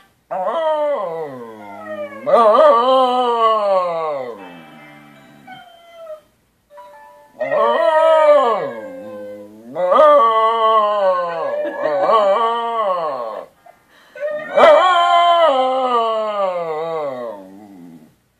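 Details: Pet wire-haired fox terrier howling along with a dog of its own breed on a screen; loud, wavering howls in four long bouts separated by brief pauses, each sliding up then down in pitch.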